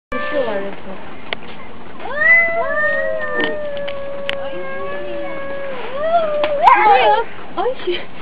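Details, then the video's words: Two cats squaring off in a fight over their neighbourhood: long, drawn-out yowls that rise and then hold steady, with a second wavering cry joining near the end and brief clicks and knocks in the background. "Драка Котов. Кот против Кота | Cats Fight video Cat vs Cat"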